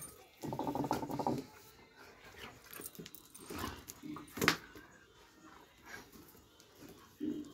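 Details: A Doberman Pinscher holds a brief, even-pitched whine for about a second, then soft knocks and rustling sounds follow, with one louder tap.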